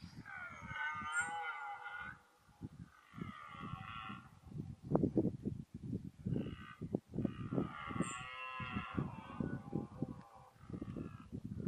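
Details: Red deer stag bellowing during the 2014 rut, likely the 14-point stag: drawn-out, harmonic-rich roars in two main bursts. Heavy low thumps and rumbling handling noise run throughout.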